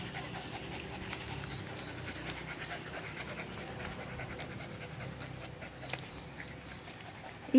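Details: Domestic dog breathing in quick, regular, quiet pants over several seconds, low in level, with a faint hum and a sharp knock at the very end.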